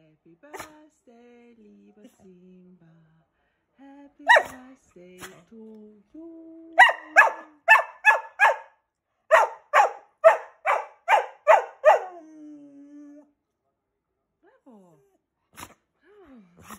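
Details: During happy birthday singing for his 4th birthday, Keeshond Simba lets out a quick run of about a dozen sharp, evenly spaced barks in two bursts, with low sung tones and voices before and after.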